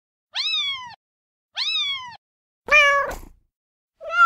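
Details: Two high arched kitten mews, then a louder, harsher, drawn-out meow and the start of another call.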